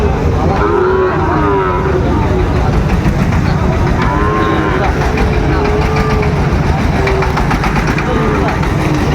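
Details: Sahiwal bull calves for sale at the start of Ambari cattle market in Dinajpur on 26 September 2025: several drawn-out, wavering moos rise and fall over steady crowd chatter and a low engine rumble.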